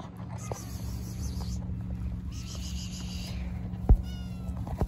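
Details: Little kittens meow while being given food; a few short, high, thin meows rise above a steady low mechanical hum, with a sharp knock near the end.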